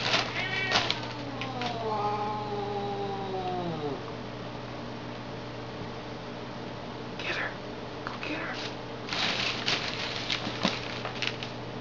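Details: Cats play-fighting indoors: a drawn-out wavering yowl with falling pitch in the first four seconds, then quiet scuffling and sharp thumps and hisses later, over a steady low mains hum and a person urging them on.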